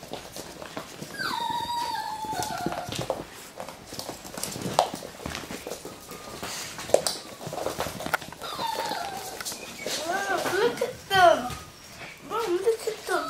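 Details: Russian Toy puppies playing: high thin whines and squeaky yelps sliding downward early on, then a cluster of short, rapid overlapping yips and squeals near the end, with scuffling and clattering play noise throughout.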